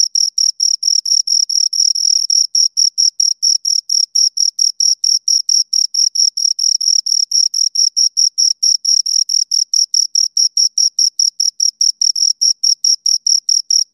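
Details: Two crickets chirping close up, a high, shrill, pulsed chirp repeated rapidly and evenly, about three to four bursts each second with brief gaps, steady throughout, no other sounds.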